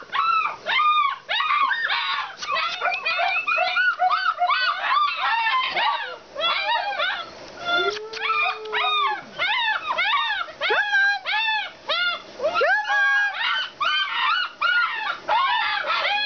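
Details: Alaskan Malamutes at a kennel give loud, rapid, arched whining yips in quick bursts. Calls overlap in a busy chorus, and one longer level tone sounds near the middle.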